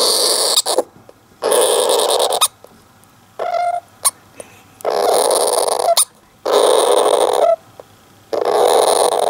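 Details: Caged Syrian hamster Don-chan, alone in his cage in the early afternoon, perhaps half asleep or irritated, gives a strange rare cry: harsh, hissing, noisy bursts about a second long, repeated with short pauses and a few faint squeaky notes.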